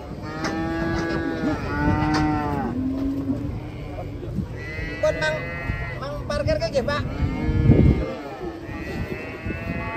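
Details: Cows coming down off a truck in Indonesia give overlapping moos almost continuously. Rich, buzzy bellows rise and fall one after another through ten seconds, with low rumbling noise beneath.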